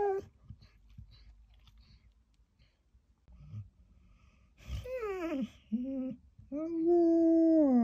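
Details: Samoyed Louis, left by himself in a hotel room briefly, is quiet with faint room noise at first, then breaks into short bent whining wails and a sustained steady howl at the end.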